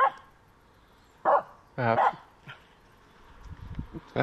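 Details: Dog barking at a squirrel during a walk: a few loud, harsh barks, one rough and drawn out, with rustling and brief human voices between them.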